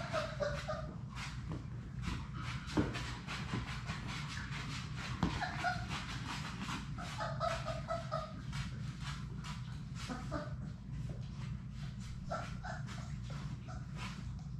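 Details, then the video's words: Labrador Retriever puppies, a litter of six, playing together in their play room, give many short high yips and whining squeals over constant scrabbling clicks, with a droning low hum beneath. "Labrador puppies at play!"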